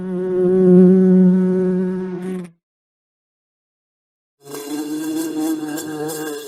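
A bee buzzes with a steady, rich drone, pauses in silence, then buzzes again with a wavering pitch.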